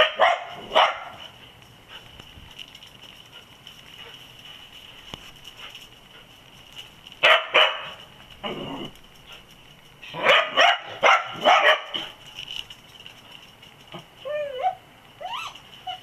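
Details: Dachshunds that have found an olive-raiding possum give scattered barks, with long quiet gaps between loud clusters around the middle and end, and a few higher whining notes near the close.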